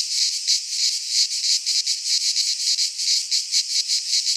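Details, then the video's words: Cicadas from the Greek fauna singing in a midsummer pine forest, a harsh high buzz throbbing in fast, uneven pulses across the whole moment. "Cicadas singing in midsummer - Nature sounds from the Greek fauna - Sounds of cicadas"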